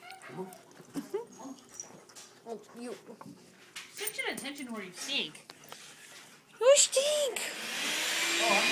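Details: A new puppy playing indoors with a trio of other dogs; rapid bursts of short, high yips and arching whines, several per second, overlapping human voices, ending in a loud rush of broadband noise.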